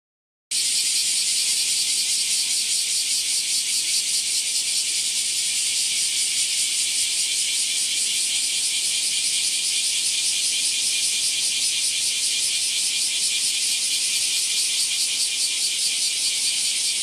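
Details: A bear cicada sings a loud, harsh, high-pitched buzz without a break, recorded in the morning around 09:24–09:39 on 14 July 2022 in Japan alongside Kaempfer and large brown cicadas; bear cicada.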